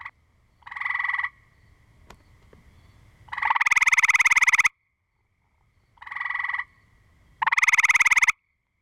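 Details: Gray treefrogs calling back and forth, including aggression calls: a short pulsed trill followed by a much louder, longer rattling trill, the pair repeated twice with brief silences.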